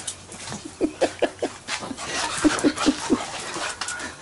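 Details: Little Bubba, an 18-week-old puppy, playing in a sprinkler. A quick series of short, low, voiced puffs comes about five times a second in two bursts, with a faint hiss of background noise.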